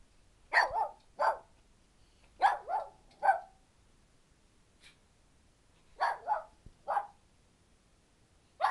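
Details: Two pet dogs, Titian and Teek, suddenly start barking indoors: sharp, loud barks in quick pairs and triplets, with short quiet gaps between bursts and a final bark at the end.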